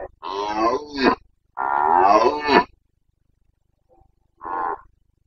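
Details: Carpathian red deer stag in the Bucovina mountains, recorded 29 September 2022 during the breeding season, giving the rut roar known locally as boncănit: three deep, harmonic bellows, two long and sweeping, then a shorter one after a pause.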